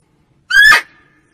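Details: Female barking deer, its call used to lure deer in hunting: a lone short bark with a slightly rising, nasal yelping tone, sharp onset and quick fade, with nothing else heard.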